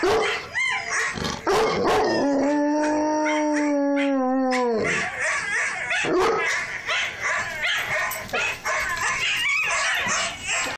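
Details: Eight-month-old Bouvier des Flandres giving its first howl, a sustained even-pitched tone lasting nearly three seconds with a slight fall at the end, framed by short yips and barks and some household noise.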